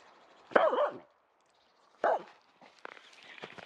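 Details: Female Finnish Spitz wearing a cone after a right leg operation, barking at squirrels in a local forest: two short, harsh barks about one and a half seconds apart, then rustling and scattered lighter noises.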